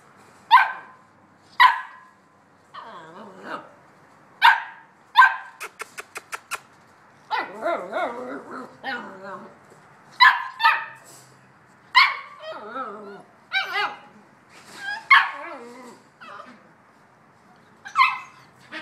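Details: Playful Bouvier des Flandres pups at seven and a half weeks, fussing before breakfast: a busy run of sharp high yips and squealing, wobbling whines, plus a brief rapid series of clicking taps midway.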